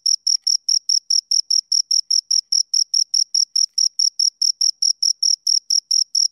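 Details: Two crickets chirping: a steady run of short, high, shrill pulses, roughly four per second, each with a fainter higher overtone, against an otherwise silent background.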